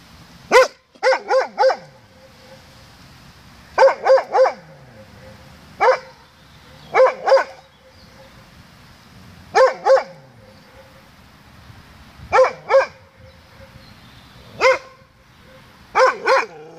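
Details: Doberman barking toward its own echo at 07:18 on 16 May 2016: around seventeen forceful barks in bursts of one to four, repeated every one to three seconds, with short echo tails.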